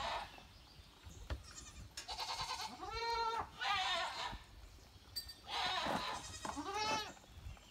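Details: Goats caught in rain, said to dislike even light drops, utter several wavering, nasal bleats, some arching upward then sliding down, in short bursts with soft steady hiss between them.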